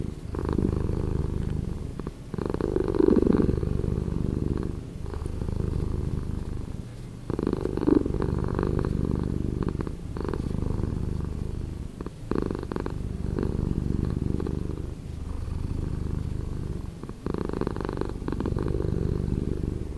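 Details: Domestic cat purring, slowed down: a continuous low rumbling purr with steady pulsing, swelling louder on each inhale-exhale cycle about every five seconds.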